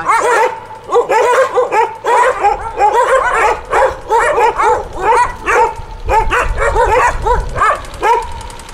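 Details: A group of street dogs found by rescuers in Punta Cana, Dominican Republic, barking in rapid overlapping bursts, several short yaps each second, with a person speaking and counting amid the chorus.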